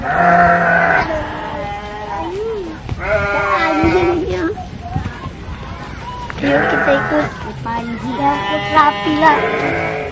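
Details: Garut fighting sheep at a breeding farm in Dangiang village, Cilawu, Garut, West Java: several loud, wavering bleats in bursts, the clearest at the start and near the end, mixed with people talking.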